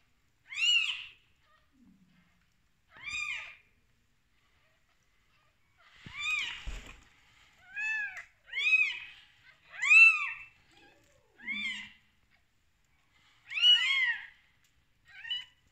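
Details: Kittens born that same day cry with roughly ten short, high, bending mews at an uneven pace. The calls bunch closer together in the second half, over a quiet indoor background.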